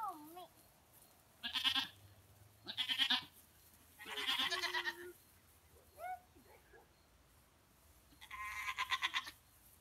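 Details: Goats at play with a young girl give four loud vibrating bleats spaced over ten seconds, with a short sliding voice sound between them and low background hum.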